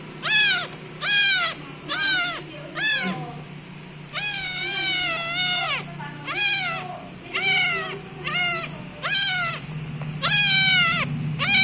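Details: A young kitten kneads its owner and meows loudly and insistently: a run of piercing, falling meows with a brief pause near four seconds, then more long drawn calls, steady low rumble underneath.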